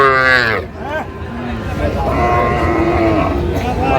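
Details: Sahiwal breed bull calves on sale to a Gazipur farmer, dated 8/5/25: a strong, rich moo opens, then a short bent call follows, with a steadier drawn-out lowing later and human chatter beneath.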